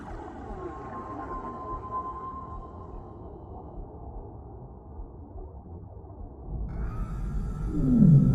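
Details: A whale's drawn-out, moaning tone drifts over a deep underwater rumble in the deep sea, then a second steady note rises.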